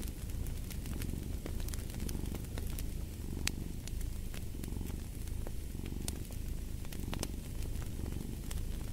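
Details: Relaxed cat purring in a deep, rhythmic rumble that swells on each inhale and exhale, accompanied by frequent crackling pops from a burning fire.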